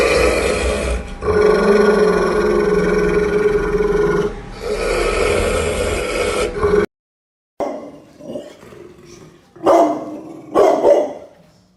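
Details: Angry Pit bull dog, barking very loud: a long, steady, harmonic growling tone holds for about six seconds, then after a brief silence come several short, rough bark bursts of varying loudness.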